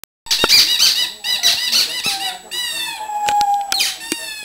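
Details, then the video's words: Bessy the pug whines for her toy indoors: thin, high squeaky yelps in short arched bursts, then a long steady whine near the end, cut by sharp clicks. "pug howling"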